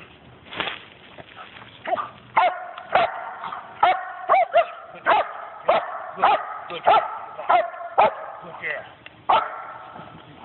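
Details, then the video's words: A dog barking during bark and hold training with an automatic out, recorded on a phone on 10/15/11: loud, harmonic barks repeated at an irregular pace, roughly fourteen in ten seconds, with a person's voice between. "bark and hold/automatic out"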